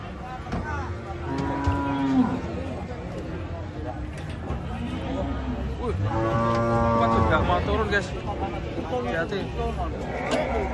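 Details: A crowd of cattle coming off a truck, said to be raging: two strong bellowing moos, the second long and rich with harmonics, over background clatter and faint talk.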